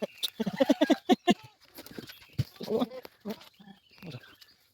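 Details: Goats being given fodder before they are let out: a quavering, pulsed bleat lasting about a second, with further shorter bleats and people talking nearby.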